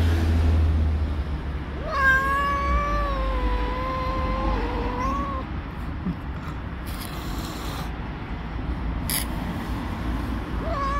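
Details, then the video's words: Angry mother tabby cat, a street stray, protesting at being touched near her kittens: one long drawn-out harmonic yowl lasting about three seconds, level then rising at the end, over low traffic-like rumble outdoors. "The angry tabby cat was very angry at me for touching her kittens."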